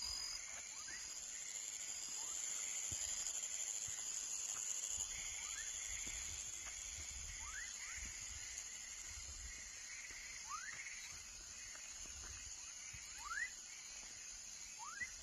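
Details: Juvenile frog call: faint at first, then clear rising whistled chirps every second or two in the latter half, set against a continuous high insect buzz and low rustling.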